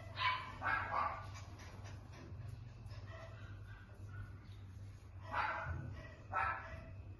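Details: Cockapoo puppy barking: two sharp yappy barks at the start, a softer stretch in between, then two more barks near the end, over a steady low indoor hum.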